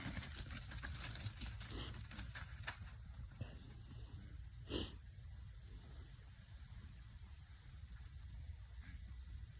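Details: White-tailed deer buck on a deer farm giving a snort wheeze: one sharp, breathy, hissing burst midway through, standing out over a steady low rumble and faint background noise.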